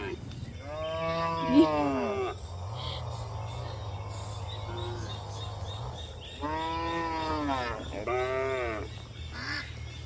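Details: Cows on a hill journey. A long, wavering moo is followed by a low hum, then two more harmonic moos close together.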